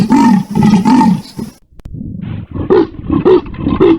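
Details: Three harsh, rasping leopard strokes with low arched tones, then an abrupt cut to a quieter, irregular series of shorter rough grunts.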